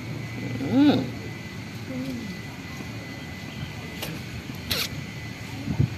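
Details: Old, very hungry cat living at a pagoda, being given fish: one short rising-and-falling meow near the start, a softer brief call after it, then quiet background hum with a few sharp clicks and knocks.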